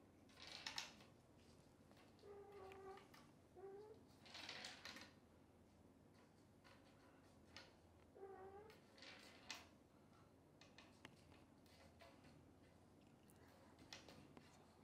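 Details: Kittens cared for by Xaxa, a mother cat nursing many kittens without enough milk for all, being fed extra formula. Several short harmonic mews come at irregular intervals, with soft clicks and rustling between them.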